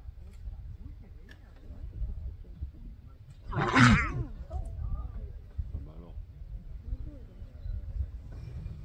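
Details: Lions on safari, a lioness and her cub taking a meal from the male: one loud, rough roaring growl bursts out midway, harsh and broadband, over a steady low rumble with faint voices around it.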